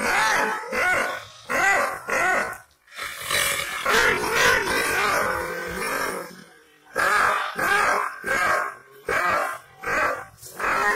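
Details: Angry Aksaray Malaklı Kangal shepherd dog giving hoarse, forceful barks and growls in an irregular series of about one per second, with a longer rumbling snarl in the middle.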